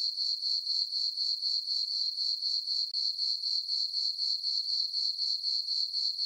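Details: Summer-night crickets in a moonlit farm meadow, chirping in an even, shrill pulse of roughly four beats each second, one brief dip in the trill, nothing else audible.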